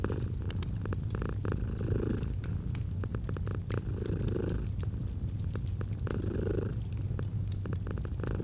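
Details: Purring domestic cat beside a crackling fireplace in autumn; deep continuous rumble with slow breath-linked swells about every two seconds, fire pops and crackles scattered throughout.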